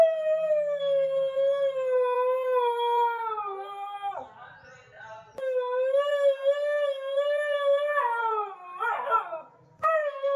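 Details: Nasi the Siberian husky gives sustained, gently wavering howls with strong harmonics, two long drawn-out notes broken by short rough breaks and brief quiet, a faint low hum underneath in a small room.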